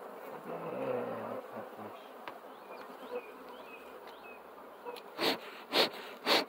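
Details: Steady bee hum with faint bird chirps scattered through, ending with three loud, evenly spaced thumps or knocks in the final second and a half.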